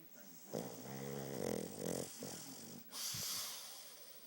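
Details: Fuuta the pug sleeping, snoring hard because of a very short nose: a long rattling, vibrating inhaled snore of about two seconds that swells and pulses, followed by a hissing exhaled breath.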